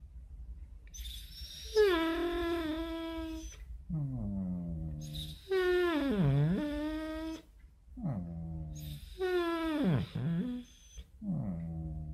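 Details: A Basset Hound in the morning gives long, wavering howls and moans that swoop up and down in pitch.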